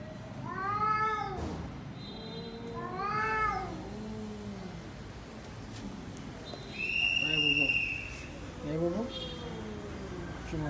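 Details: Cat indoors in a shelter-style home for cats, mewing repeatedly with arched harmonic meows, some short and some drawn out, mixed with softer lower calls and a thin high whine; light background sounds of the room.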